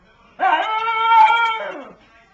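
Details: Talking pug from a compilation of funny pugs: a single short, voiced howl that swells in the middle and fades after roughly a second and a half, with a quiet room behind it.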